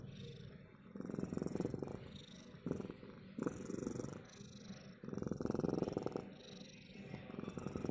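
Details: Soft rumbling purr from a cat in breath-length swells, some bursts shorter and choppy, others long and strong, against faint indoor hiss.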